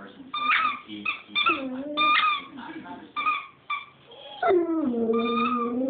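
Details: Chooch the dog singing indoors: short bursts of tonal, harmonic whines with sliding pitch, some rising then falling, separated by brief pauses and ending in a longer wavering wail.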